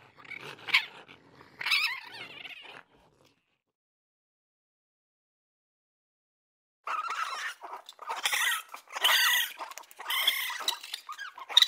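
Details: Raccoon with two short harsh chitters, a few seconds of silence, then a rapid run of rough, squeaky, churring bursts growing louder toward the end.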